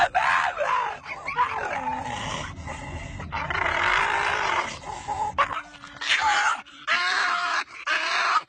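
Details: Dog making funny vocal sounds: a run of drawn-out, wavering, whine-like and howl-like notes, rising and falling in pitch, broken by short pauses and a few sharper yips toward the end.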